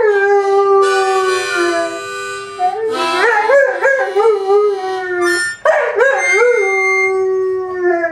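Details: Dog howling in duet with its owner, a held note followed by quick wavering upward-bending howls in several bursts, mixed with harmonica tones.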